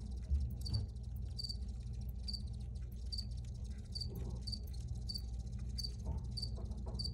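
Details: Crickets sing in a steady series of crisp, high chirps, about two every second, clear above a continuous low droning hum with a few soft knocks.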